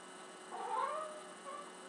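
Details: Talking cat on the stove giving a single drawn-out, tonal meow that swells and then fades over about half a second, followed by a brief, softer second note, in a quiet indoor setting.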